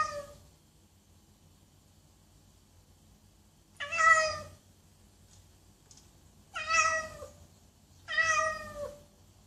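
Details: Loud meowing from a domestic cat: a faint meow fading at the start, then three strong, falling meows spaced roughly two to three seconds apart against near silence.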